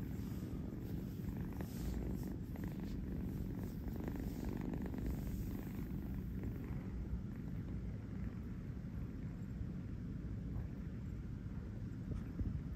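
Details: Kitten Kurt in New York purrs while settling on a fuzzy bed for a nap: a deep, even, throbbing rumble with rhythmic pulsing, unbroken for the whole stretch, with faint rustling of fabric early on.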